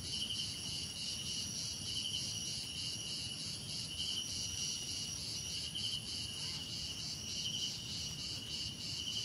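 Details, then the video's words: Crickets calling together: layered high, buzzing trills that pulse steadily, with short chirp bursts recurring every second or two, and a dull low rumble underneath throughout. "Relaxing Cricket Sounds"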